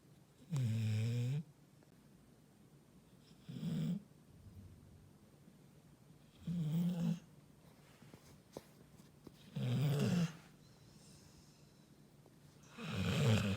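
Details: Sleeping Labrador Retriever snoring indoors: deep, rumbling snores, each about a second long, recurring roughly every three seconds with quiet breaths between.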